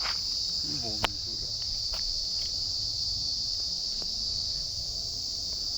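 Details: Crickets calling in a quiet Joypur forest spot in Bankura, away from vehicle noise: a steady, high-pitched continuous trill runs throughout, with a brief voice and a few faint clicks near the start.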